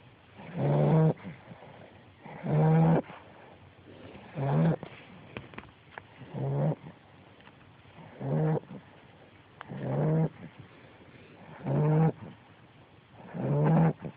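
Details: Sleeping 10-week-old American Bulldog puppy Calypso, a female, snores steadily: eight deep, vibrating snorts, one roughly every two seconds, each a short rasping burst over a low hum, with near silence between breaths.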